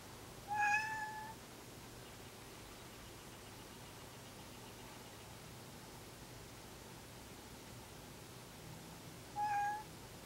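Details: Male cat, neutered as an adult, calling while edging toward a housemate cat that seems uneasy: two short, level, clear meows about nine seconds apart, with near silence in between.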